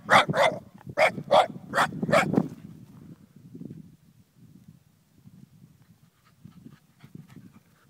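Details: Sake, an eight-month-old Shiba Inu discovering Pyrenean cows for the first time, lets out a quick burst of six loud barks in under three seconds, then falls quiet amid soft rustling and footsteps outdoors.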